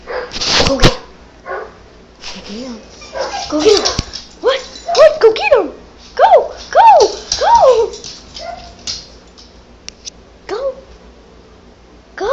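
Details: Pet dog reacting to odd dog noises played indoors: a run of rising-falling whining yelps, several in quick succession around the middle, with a person speaking encouragingly and clicking in the background.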